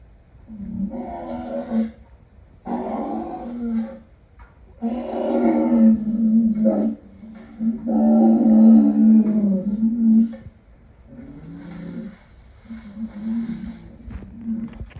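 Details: Lion roaring in drawn-out, moaning bursts of uneven length, loudest in the middle, fading into softer grunts toward the end.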